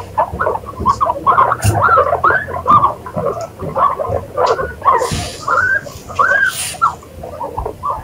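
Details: Several guinea pigs give a run of arched, whistle-like squeaks, each rising then falling, repeated roughly every half second over eight seconds, with a few faint hissy noises mixed in.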